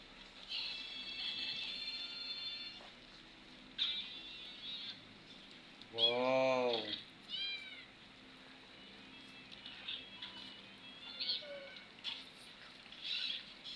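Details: Domestic cat with its young while eating corn; one loud, rich, arching meow rises and falls midway, followed by a shorter, higher call, over steady high chirping and soft background music.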